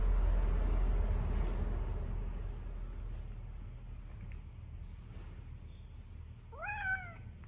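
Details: A fat pet cat gives a single clear meow near the end, a rising then falling tone with bright harmonics, after several seconds of low rumbling background noise.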